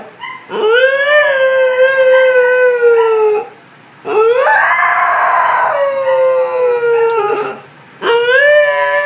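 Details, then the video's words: Beatrice, a pet Siberian Husky, howling in long drawn-out tones that rise, hold steady and slowly fall, three howls separated by brief pauses, each rich in stacked harmonics. "Siberian Husky Howling"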